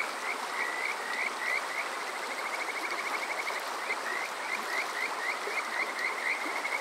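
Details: Chorus of Kajika frogs at night in summer, Yokoze, Chichibu District, Saitama, Japan, recorded on a TASCAM DR-05X: bright rising whistles in bursts, a rapid trilled run midway, then evenly spaced notes, all over rushing water.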